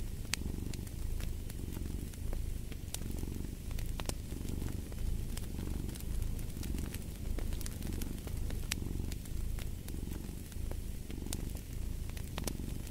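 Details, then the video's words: Domestic cat purring steadily in low, rumbling pulses that swell and fade about every second and a half, with a crackling fireplace snapping and popping throughout. "Purring of a Cat"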